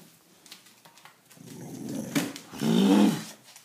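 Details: Bruce Lee, a wire-haired Terrier mix dog rescued as a stray in 2013, growls indoors in a small room: a low rumbling that builds gradually, then swells into a louder, steady growl of about half a second before fading.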